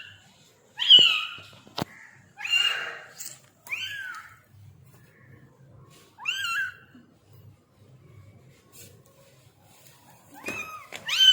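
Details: Newborn baby kitten mewing indoors in a small room: a series of high, thin, rising-then-falling mews in short bursts separated by pauses, with faint low background hum.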